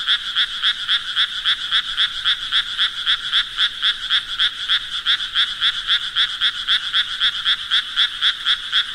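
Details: Steady frog chorus-like croaking made of evenly spaced rasping pulses, nearly four per second, constant in pitch and loudness, nothing else audible.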